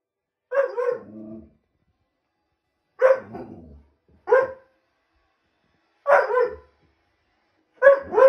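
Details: An Alaskan Malamute, with a cat on the roof, gives short, tuneful howling yelps at irregular intervals, some trailing off into lower groans.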